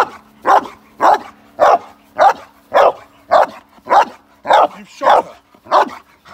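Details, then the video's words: Male Cane Corso during k9 response training in London, UK, staged against a moped gang crime scenario: eleven deep, evenly spaced barks, one roughly every 0.6 seconds, over a faint steady hum. "Moped Gang crime in London UK k9 response Training Male Cane Corso"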